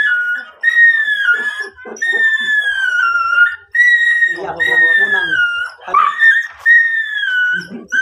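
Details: Miniature Dachshund during stud service breeding at Guesang, Mangaldan: long high drawn-out whines, sliding slightly downward and repeated with short breaks, with faint voices underneath.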